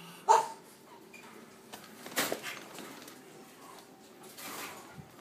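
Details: Three cream male French Bulldog puppies born 12.4.23; a single short, high squeaky yelp opens the recording, followed by faint rustling and soft knocks, with no further clear puppy voice.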